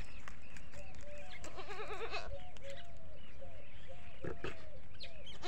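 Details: On a desi goat farm with many goats, one goat gives a shaky, trembling bleat of nearly a second, while birds keep up quick, curved chirps and a few clicks and knocks sound nearby.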